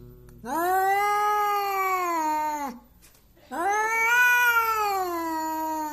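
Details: Aggressive domestic cat that wants to fight, uttering strange long wailing growl-yowls: two sustained, strongly harmonic howls, the second swelling slightly and wavering, with a brief pause between.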